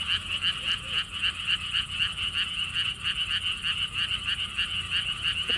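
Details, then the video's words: Frog chorus at a lotus pond park in Siheung, Korea, on a windy day: fast, evenly pulsed croaking that rolls on without pause, many callers overlapping, faint low wind noise beneath. "개구리 소리"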